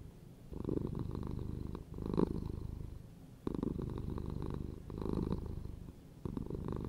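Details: Close, deep purr from a house cat, throbbing and continuous, rising into stronger rumbling stretches roughly every one to two seconds with quieter breath gaps between them.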